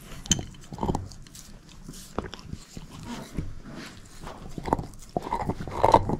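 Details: Bone-chewing by Moose, a shepherd mix dog: steady soft gnawing and clicking teeth, building to louder crunchy bites in the final seconds, no speech.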